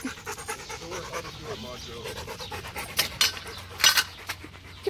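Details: Rottweiler Macho panting in quick rhythmic breaths as a man calls him and offers water. Louder voice bursts interrupt near the end, over a faint low hum.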